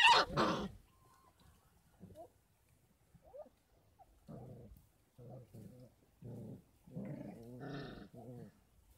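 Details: Litter of 33-day-old Kangal puppies at a dog farm, supplemented with goat milk and formula. A loud noisy burst opens, then scattered short whimpers build into clustered growly whines near the end.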